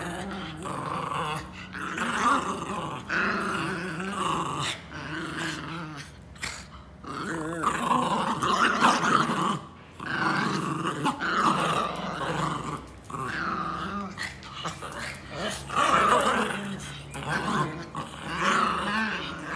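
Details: Domestic Pinscher dogs growl steadily in a small indoor space, a raspy snarling rumble rising and falling in bursts for nearly twenty seconds, with brief yips in between.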